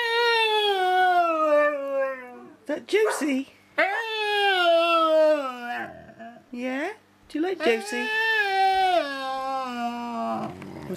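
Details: Samson the pet dog talking with Josie: long descending moaning howls, three main drawn-out phrases separated by brief pauses and short human words, heard indoors.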